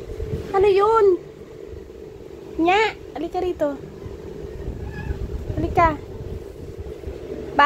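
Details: Black cat Kurna mid-tantrum gives repeated complaining meows, some long and bending, others short, about four or five in under eight seconds, with a person speaking Filipino nearby and a constant low electrical hum.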